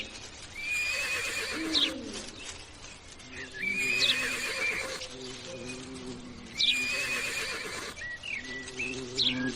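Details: Horse neighing: whinnies with a falling, wavering tone recur about every three seconds. Bright chirping bird whistles sound over a steady background.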